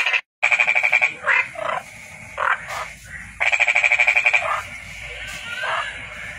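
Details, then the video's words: A toad gives bursts of fast, ringing pulsed trill about a second long, separated by shorter croaking notes and quieter pauses. "Toad Calling Sound"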